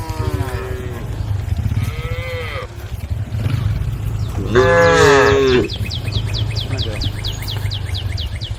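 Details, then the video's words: Group of tame female cows on a road calling to the herd. Drawn-out moos, one rising then dropping and a louder one near the middle, sound over a steady low engine hum, with quick bird chirps near the end. "the sound of cows calling the herd"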